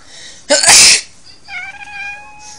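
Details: Cat answering a person's sneeze: after the loud burst of the sneeze comes a short, steady, slightly rising meow of about one second.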